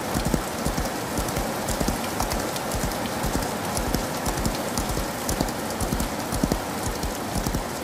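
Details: In rainy weather a horse gallops, its muffled hoof strikes partly buried under a dense, even hiss of heavy rain on surfaces.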